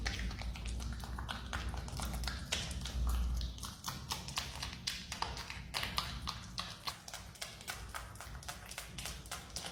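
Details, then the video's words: Marmot eating a banana: dense, rapid wet clicking and smacking of chewing, about four bites per second, uneven, with a low rumbling undertone throughout. "Marmot chewing banana makes relaxing sound"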